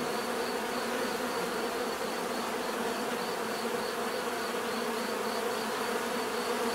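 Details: Bees produce a constant, full-bodied drone, many wings humming together at an even level with no pauses or other sounds.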